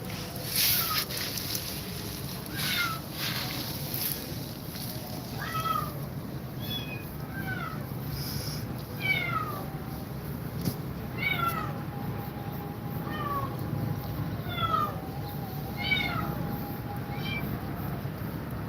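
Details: Domestic cat, described as grumpy and scared of two mother cats, giving a long run of short, rising-then-falling meows, sometimes two or three close together, over a steady low hum and constant background hiss.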